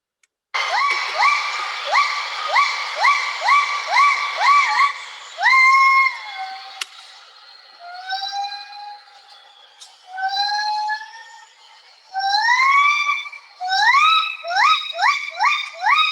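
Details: A female Javan gibbon from a habituated study group on Mount Halimun Salak, Indonesia, sings her long great call: loud, pure whistled notes that swoop upward and repeat.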